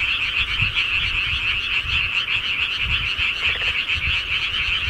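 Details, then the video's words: Countryside frogs calling at night: a thick, continuous high-pitched chorus of overlapping croaks with a faint pulsing texture and light low-frequency rumble in the background. "시골개구리 소리"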